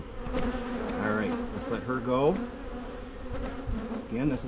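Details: Carniolan honey bees buzzing around a Michigan hive being split against swarming; an even hum carries a sharp swooping buzz near two seconds as one bee zips by, and another approaches at the close.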